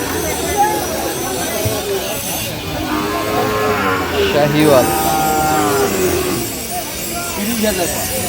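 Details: Sahiwal bull calves at a cattle market in Chuadanga, Bangladesh, on 9 June 2025. A drawn-out, harmonic moo rises mid-clip over constant crowd chatter and general market din.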